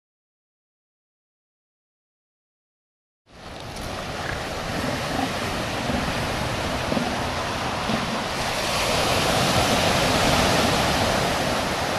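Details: Silence for the first three seconds, then steady roaring surf and wind noise on a Californian beach fill the rest, with no clear animal voice.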